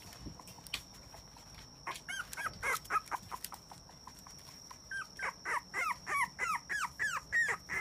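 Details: Male Papillon puppy, born 18 August 2017, whining in bursts: sharp, high, falling yips come in a short cluster, pause, then return as an evenly spaced string of about three per second, with a constant thin high tone behind.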